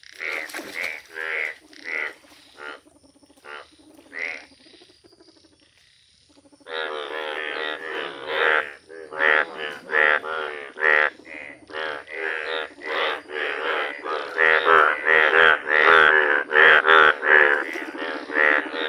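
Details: Yellow Indian bullfrogs in a village, giving loud, nasal, harmonic croaks in short bursts, sparse at first, then after a brief quiet a dense run of overlapping calls that grows louder toward the end.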